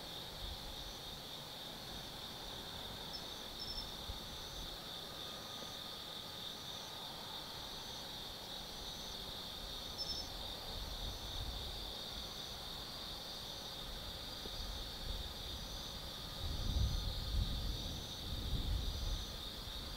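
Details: Autumn insects calling on a night at Tsukimi no Mori forest in Kaizu, Gifu, Japan: continuous shrill trilling chorus with faint pulsed chirps repeating, plus distant low traffic rumble rising near the end.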